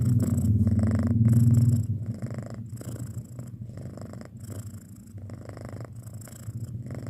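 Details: Purring from a six-month-old house cat, a deep continuous rumble, loudest and strongest in the first two seconds, then softer and more ragged, with the breath-by-breath rhythm still audible.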